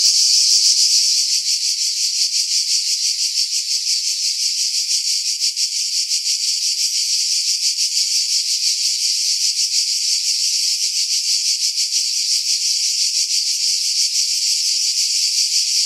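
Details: Cicada chorus in July among pines above Pefkos Bay on Skiros, Greece, recorded with a Sony RX3 and external mic: steady, unbroken high-pitched buzzing with fine rapid pulsing, wind filtered out.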